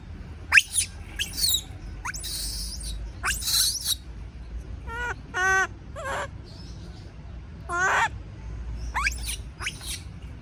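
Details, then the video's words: Baby monkey screaming out of fear of being left alone: shrill, high squeals and harsh shrieks alternate with wavering, harmonic cries that rise and fall, in bursts spread across the recording over a low background rumble. "Suara monyet takut sendirian sampai teriak , sound of baby monkey scream when affraid to be alone"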